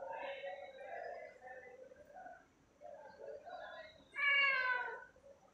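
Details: Domestic cat calling at treat time late at night: a run of soft, wavering meows followed by one loud, clear, drawn-out meow with strong harmonics near the end.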